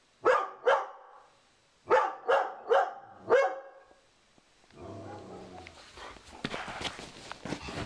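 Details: Indoors, a female Dobermann called Sugar Tree defends her owner against a cow skull moved onto the living-room wall: two loud barks, then a run of four more, followed by rustling and shuffling noise.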